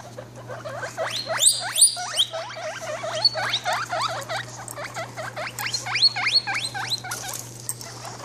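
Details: Guinea pig mother with her babies, kept as pets: rapid high squeaks that sweep upward and overlap, about 200 a minute, with some brief louder chirps and a steady low hum underneath.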